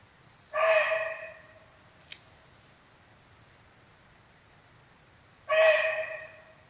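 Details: A barking deer alarms at the presence of a tiger, giving two sharp barks spaced about five seconds apart; a faint brief click falls between them against a quiet backdrop.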